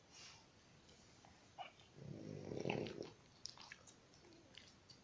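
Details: Pet dog snoring indoors: a single rough, low rumbling snore lasting about a second in an otherwise quiet room, with a few faint clicks around it.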